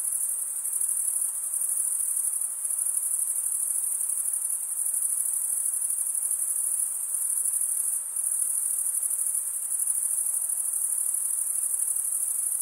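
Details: Crickets stridulating, males rubbing one wing's edge along the toothed vein of the other, form a dense, unbroken high shrill trill that holds steady throughout with only slight dips in loudness, nothing else audible.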